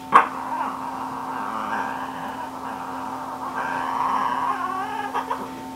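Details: Shih Tzu named Ggung giving a long, wavering, nasal whine that runs almost unbroken for about five seconds, rising and falling in pitch, with a sharp yelp at the start and a steady electrical hum underneath.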